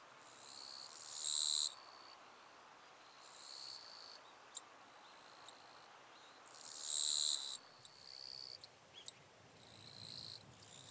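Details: Eastern Japanese katydid singing in the wild, northern Miyagi, Japan, August 2024: loud raspy buzzing phrases, each one to two seconds long, alternating with quieter buzzes and scattered sharp ticks, repeated through the recording.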